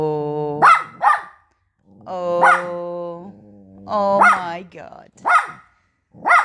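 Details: Poodle puppy upset that its food is offered on paper, growling and barking indoors: long low growls alternate with sharp high barks, several barks in quick pairs, with a person's exclamations nearby.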